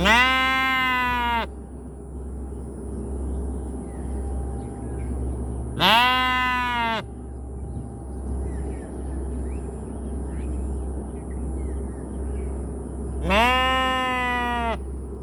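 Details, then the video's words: Three sheep bleats spaced several seconds apart, each a strong, buzzy baa of about one and a half seconds with a bowed pitch contour, over a low steady hum and soft background noise. "Sheep sound ৷৷ Baby love sheep sound"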